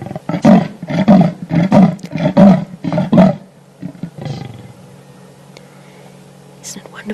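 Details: A male leopard in Africa calls in the dark on 1 June at 17:46, a rasping sawing roar of hoarse, deep grunts, each call starting with a little growl; possibly calling another leopard, maybe a female nearby.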